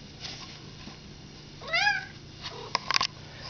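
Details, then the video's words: A house cat said to be talking gives one clear meow that rises then falls, lasting under half a second midway, followed by a few sharp clicks over a quiet indoor hum. "cat talking"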